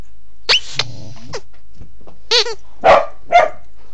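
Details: Corgi under a bed in a low crawl, Android phone recording: quieter, with a high drawn-out whine-like sound and a wavering tonal cry, then two short soft barks.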